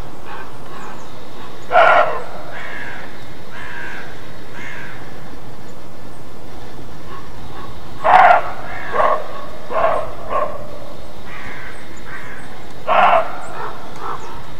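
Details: Roe deer in Mecklenburg-Western Pomerania, eastern Germany, on an icy-cold, clear, sunny day gives hoarse, harsh alarm barks ("Schrecken"), each followed by a few softer barks, several seconds apart.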